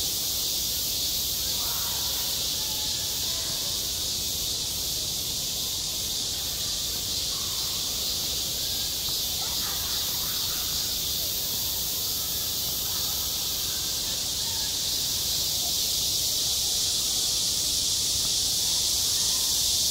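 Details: Summer cicadas droning at a school playground, self-recorded: a continuous bright, sizzling buzz that never drops out, with a few faint lower sounds now and then.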